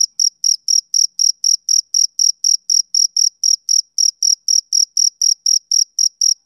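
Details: Male cricket calling on a summer evening, crisp high-pitched chirps pulsing regularly near four per second, clean and uninterrupted, with no other voices or noise.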